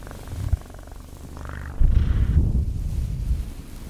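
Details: Cat purr, a deep low rumble that is quieter at first and then grows louder and rougher in the second half, with some rustling noise.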